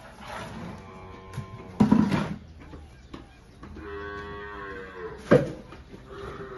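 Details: Holstein cows with calves at milking time in the countryside of El Salvador; a few short, low, harmonic moos stand out, with a quieter drawn-out lowing in the middle, over steady background hum and some voices.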